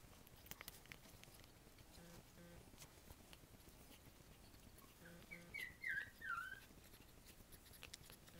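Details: Two-week-old Havanese puppies, born several days early, their eyes not yet open: three short, high, wavering squeaks come in quick succession near the end, rising and falling in pitch, over a quiet background with a faint low repeating hum and light rustling.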